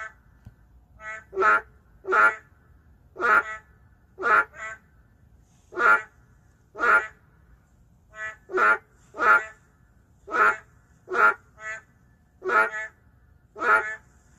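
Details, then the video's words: Narrow-mouthed frog, an endangered species, calling in an urban area: harsh, nasal, duck-like croaks, sometimes paired or answered by a second fainter caller, repeated about once per second against near silence. "도심 속 멸종위기 동물 맹꽁이 울음소리 (Narrow-mouth frog crying sound)"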